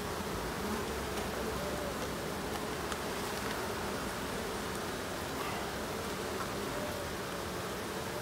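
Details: Honey bees at the hives during an end-of-summer inspection on 22 September: a steady, dense buzzing hum fills the clip, with faint short whining tones from individual bees flying close by, over a constant rustling background.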